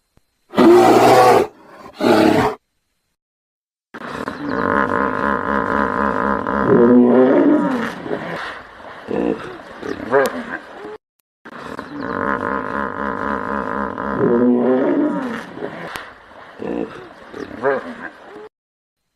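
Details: Hippopotamus vocalising: two sharp, loud honking bursts open, followed by two long runs of deep rumbling, grunting calls with wavering tones and chuckling pulses, separated by a brief gap.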